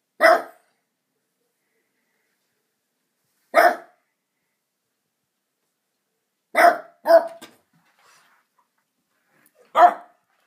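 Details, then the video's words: Pet dog barking at a window, giving single sharp barks spaced several seconds apart, then a quick double bark, then one more; each bark short, loud and rough, with quiet between. "Harley barking.... Again"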